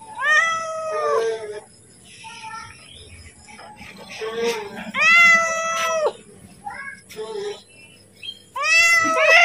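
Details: Pet cat calling to ask for food just before being fed, giving loud, drawn-out meows that rise and then fall, with pauses between them and faint background sounds.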